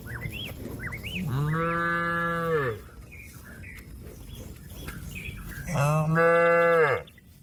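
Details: Cattle calling companions to come back to the pen: two sustained harmonic moos, each over a second long, ending with a downward slide, with whistled bird chirps before the first.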